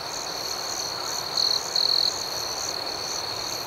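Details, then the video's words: Crickets chirping at night in a chorus: a steady, high continuous trill under rhythmic pulsed chirps, with two louder, brief buzzing bursts about halfway through. "Soothing Cricket Sounds"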